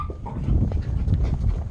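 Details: Yorkshire Terrier puppy playing with a squeaky elephant toy indoors, giving a low, rumbling play growl that rises and falls in short bursts.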